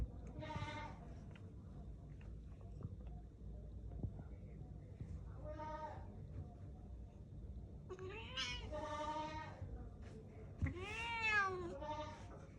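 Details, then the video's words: Angry cat giving a run of drawn-out, harmonic meows. A short cry is followed by longer wavering ones and a final arching, rising-then-falling yowl near the end, over low background hum and a person speaking Bengali. "Angry cat"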